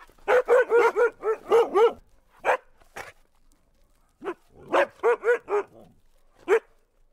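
An Alaskan husky gives bursts of quick, mid-pitched barks and yips, six in a rapid run, then scattered single barks and a second rapid run.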